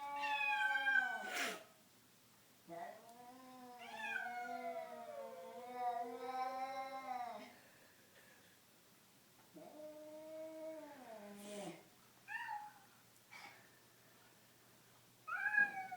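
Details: Two house cats, one black and white, producing eerie caterwauling though not fighting; long harmonic wails bending up and down, a short cry, a sustained howl of several seconds, then falling moans and brief chirpy yelps.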